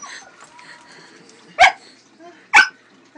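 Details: Two sharp, loud barks about a second apart from a pet pug whose tail a cat is attacking, with quiet background between them.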